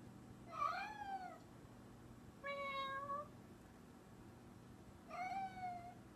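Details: Quiet indoor recording of a cat talking with three separate meows, each bending up then down, spaced about two seconds apart against faint background hum.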